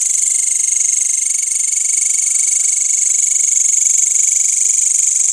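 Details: Nighttime insect chorus of crickets in a village after sunset, green grasshoppers among them: loud, unbroken high-pitched pulsing trill, fast and even, layered over a lower steady tone.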